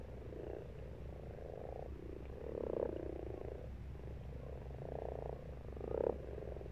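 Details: Pond frogs in March giving drawn-out purring croaks, several overlapping bursts about a second long, the loudest near the middle and end, over a constant low background hum.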